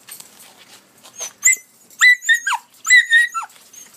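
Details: Young collie puppies at 73 and 86 days of age, 12 August 2013: a few soft whines, then sharp high whimpers that slide down in pitch, several in quick succession over the last two seconds.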